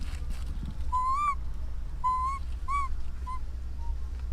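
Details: An orphaned baby monkey calling to its mother gives clear, whistled coos, each swelling slightly upward, repeated about every second over a low rumble.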